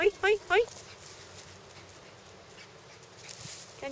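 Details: Toy poodle playing at an outdoor dog run: three short high yelps in quick succession in the first second, then quiet background hiss with a faint further yelp near the end.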